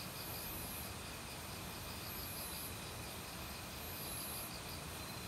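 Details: A forest in autumn, with crickets that began calling loudly a week earlier. They trill and pulse in repeated bursts over the steady roar of valley stream water.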